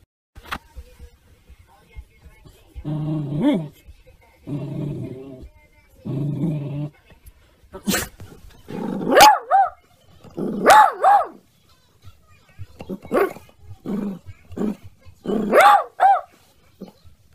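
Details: Basset Hound at home giving drawn-out bays and yowling barks, several rising-then-falling howls in bursts of about a second, interleaved with a person talking to the dog between calls.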